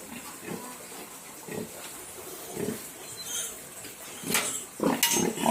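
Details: Duroc piglets on a pig farm in Assam: scattered short grunts, a few brief high squeals near the end, with clattering and rustling around them.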